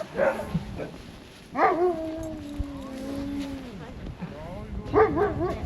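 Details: Husky sledge dogs in wintry Ogre, Latvia, at about -13°C: short yips, then one long steady howl lasting about two seconds that dips at its end, followed by more yelping, with voices in the background.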